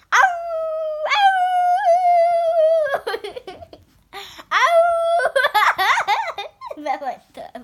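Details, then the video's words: Family pet Yorkshire Terrier, female, chattering with a child inside the house: long steady howl-like tones held for a couple of seconds, then choppy whines and yips mixed with speech. "Sweet yorkie discusses everything with my daughter"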